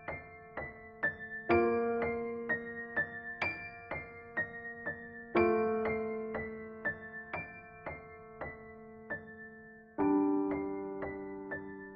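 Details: Soft electric piano music plays alone, slow repeated chords and single notes with no animal sound.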